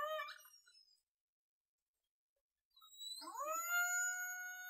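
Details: A killer whale in False Bay, Cape Town, South Africa, on 26 January 2021, gives a falling harmonic wail, a pause, then a rising tonal call that holds steady; believed to be the first such recording from South Africa.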